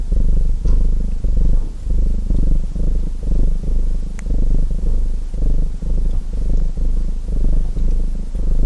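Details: Purring cat by a fireplace, a low vibrating rumble that swells and fades in longer breath cycles, with only a few faint fire crackles.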